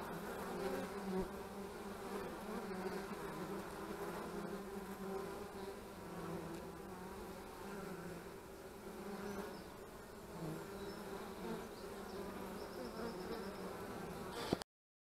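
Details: Honey bees at the hives on March 25, 2015: a steady, low, droning hum of many wingbeats with layered humming tones, continuous and even from start to finish.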